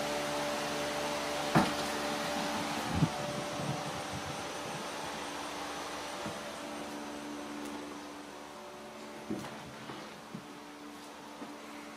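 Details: Indoor whir of a vacuum cleaner or fan with scattered knocks and bumps, fading slightly over time; no animal voice is heard.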